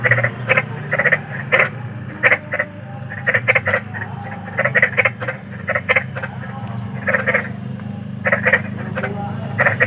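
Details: Big frogs calling in the wild at night: short harsh croaks in bursts, often paired or tripled, many overlapping callers, over a steady low rumble of background noise.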